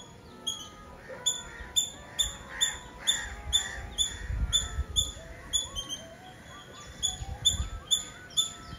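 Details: Squirrel calling in Nazareth, Tamil Nadu, India: rapid, fairly regular high chips, about two per second, shrill and clicky, with a soft melodic music bed and low rumble beneath.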